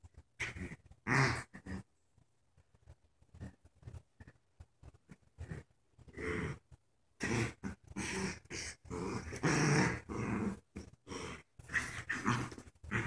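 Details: Two dogs at tug of war, one a paralyzed puppy in a diaper; after a few scattered grunts and a quieter stretch, dense rasping growls return in rapid, uneven bursts through the second half.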